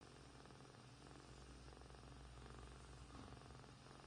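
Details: Two kittens, one grey and one white, sleeping and purring; a soft, steady low rumble throbs continuously through the whole stretch with no other clear sounds.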